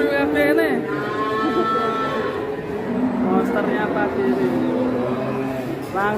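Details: Big cow shown one morning in Indonesia, sold without bargaining and hauled away. A harmonic-rich moo opens, crowd chatter fills the middle, and another brief bovine call rises near the end.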